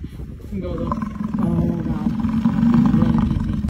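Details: An American bison in Yellowstone National Park lets out a low, growling bellow, rough and throaty, building steadily in strength over a few seconds, then holding before cutting off abruptly.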